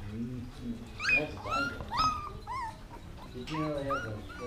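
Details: Siberian husky puppies, 16 days old, lying on their backs and vocal: a string of high, wavering whines and squeals that rise and fall, several a second, with a woman talking softly underneath.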